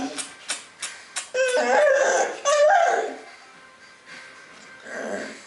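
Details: Bull Terrier dog waking up and looking for its owner, giving high, drawn-out whining whimpers that rise and waver, two long whines after a few soft tapping clicks, then a quieter fading murmur indoors.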